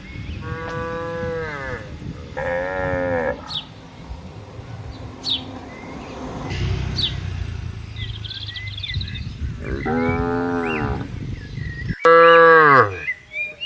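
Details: A herd of cows roams freely in a wide palm oil plantation. Repeated drawn-out moos have strong harmonics, some falling at the end. The last bellow is loud and abrupt, over a steady low rumble and faint bird chirps.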